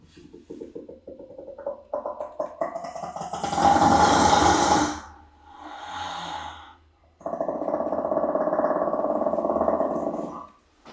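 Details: An endangered brown hyena (Parahyaena brunnea) at Prague Zoo gives quickening pulsed grunts, then a loud harsh roar and a long buzzy growl.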